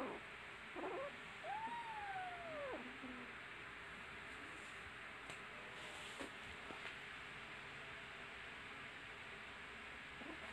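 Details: Kittens at play with each other; one long, smooth meow that climbs and then slides steadily down, followed by a short low note, then only quiet hiss with a few faint clicks.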